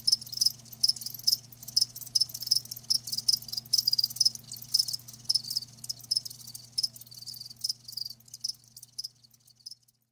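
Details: Live crickets trill in high rapid chirps over a low constant hum, the bursts thinning and fading toward the end of the stretch.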